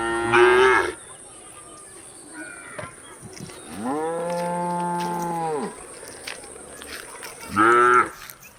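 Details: Cows at feeding time moo: a short loud bellow opens, then a long, even, deep moo rising slightly and falling off, and a final brief strained call, with a constant thin high tone in the background.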